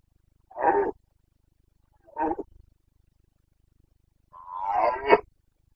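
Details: In Bucovina's mountains during the September 2022 breeding season, a Carpathian red deer stag gives three roars: a rough short blast, a briefer grunting one trailing into low rumbles, then a longer strained roar that rises and breaks at the end.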